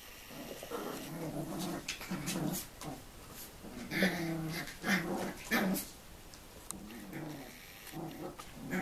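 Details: Seven-week-old Tibetan Terrier puppies from a kennel litter, recorded 2 November 2015: low, rumbling growls and tonal grumbles in short bursts, louder in the middle, with faint yips and background noise.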